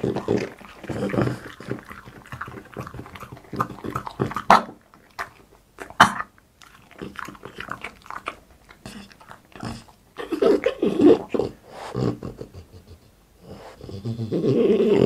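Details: Indoor ASMR mukbang of Boss, a French Bulldog, eating: rapid crunchy chewing and lip smacks stream steadily, pause briefly, then resume, ending with a breathy snuffle.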